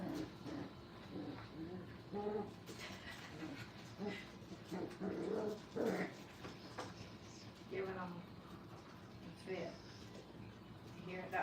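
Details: Five-week-old Brittany puppies playing at a training kennel; short high whimpers and yelps scattered through the stretch, overlapping one another, with people talking indoors in the background.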